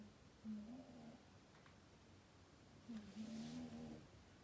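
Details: Sleeping cat snoring: two low, drawn-out rasping breaths, each about half a second to a second long, a couple of seconds apart, in a quiet room.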